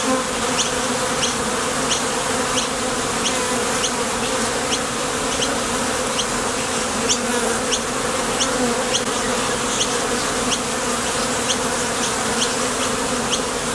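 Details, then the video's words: A steady low buzz rises from many bees leaving and landing at a Top Bar Hive entrance on nectar trips. The even, unbroken drone carries stacked humming tones, with short high ticks sprinkled throughout. "Sonido de las Abejas"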